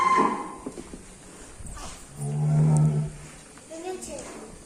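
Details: A tall Ongole crossbred contest bull, a riding animal, described as enraged, lets out one low sustained moo near the middle, framed by a man's speech and murmuring in a large space.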